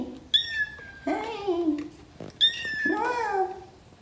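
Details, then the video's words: A rescued gray kitten, about a month old and of wild blood from Paraguay, meows indoors while trying to climb onto a lap: two rising-falling mews, each with a high thin part and a lower drawn-out wail, with faint talk. "Rescued kitten wants to climb on her mom's lap!"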